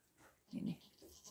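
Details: A newborn goat kid, about four minutes old, with its mother in care on a goat farm in Pori, Finland; one short low bleat in the middle of the recording, with quiet barn rustling around it.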